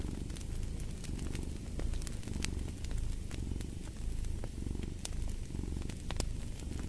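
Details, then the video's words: Cat purring in a deep, rolling rumble that rises and falls in rhythmic waves, accompanied by frequent bright pops and crackling from a fireplace. "Purring of a Cat"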